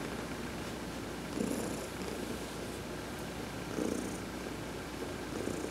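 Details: Heidi, an adopted domestic cat, purring while being massaged during a sun bath: a steady, soft low rumble that swells slightly with each breath, about every two and a half seconds, with no other sounds.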